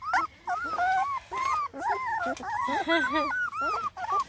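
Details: Male Black and Tan Coonhound puppies on their first adventure out of the nest, giving high, wavering whines that rise and fall in quick overlapping bursts, with a person's voice faintly in the background.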